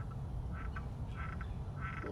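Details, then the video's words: A frog in a hole at a big cat sanctuary in August 2019 gives short, nasal, quacking calls about every half second over low rumbling background noise. "You hear that frog?"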